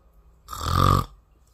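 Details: A sleeping Bengal cat gives a single snore of about half a second. It is a rasping breath with a deep rumbling base and a tonal buzz above, rising and falling in loudness, with quiet before and after.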